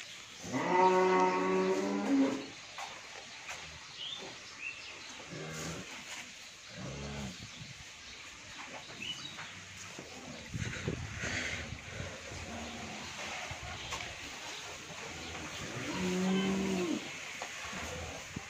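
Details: Friesian dairy cow with her heifer calf, second calving, at a farm in Bhangura, Pabna, Bangladesh; a strong drawn-out moo at the start, then a long quiet stretch of shuffling and faint noises, and a second deep moo near the end.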